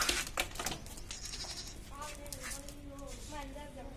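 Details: Female goat in Hyderabad giving a wavering, nasal bleat held for about two seconds in the second half, after sharp clicks and handling noise at the start.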